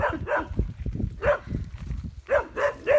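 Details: On a drought-hit off-grid farm in Central Portugal one morning, dogs bark in quick, harsh bursts, several in a row, keeping a wild boar, seemingly a young one, under control and chasing it off the property.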